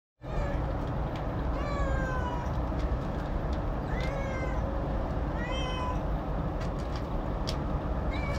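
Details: Domestic cat that likes to eat alone, giving four short harmonic meows, several with a falling or bent pitch, spaced a second or two apart, over a steady loud low rumble of background noise.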